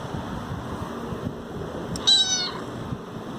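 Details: Domestic cat calling for food: a single short meow with stacked bright harmonics, slightly falling, lasting about half a second amid steady low background hum.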